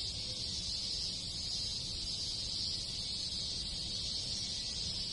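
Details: Rural Japanese countryside in summer, alive with many cicadas and other insects producing a continuous high, hissing whir without pauses, layered over a gentle low-pitched rumble.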